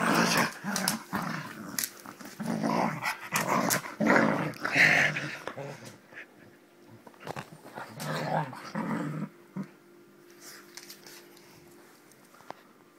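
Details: Springer Spaniel in play fight, loud rolling growls and huffs for about nine seconds, then fading to quiet with a few faint noises.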